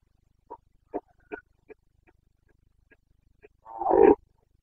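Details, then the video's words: Bucovina red deer stag in the Carpathian rut, Romania, 29 September 2022: a run of short clipped grunts a fraction of a second apart builds into one loud, rasping roar at the end. "Boncănit / Carpathian stag Breeding season"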